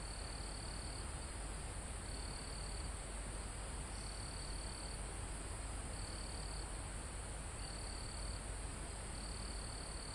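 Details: High, thin cricket trills from a forest almost at a mountain top, live recording: about six short buzzing bursts, roughly one every one and a half seconds, against constant low wind in the leaves.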